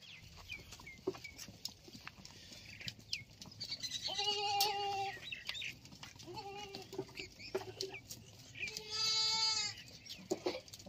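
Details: Sirohi goats on a goat farm, including a pregnant goat and a goat with two kids: three clear, tonal, strained bleats, the last longest, over steady background noise and faint clicks.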